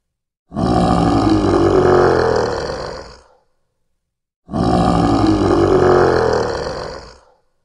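A lion gives a deep, rasping roar of about three seconds, heard twice in identical form.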